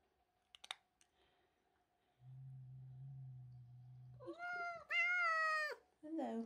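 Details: Domestic cat George indoors, angry at a young kitten named Milo who came into the house and stole his tuna: a low steady growl for about two seconds, then drawn-out wavering yowls and a shorter falling cry.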